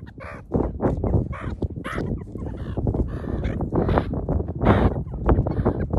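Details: Meerkats climbing on a person as a lookout, treating them as part of the group; short clucking, honk-like chirps in quick irregular bursts from several animals, over heavy rumbling handling and wind noise.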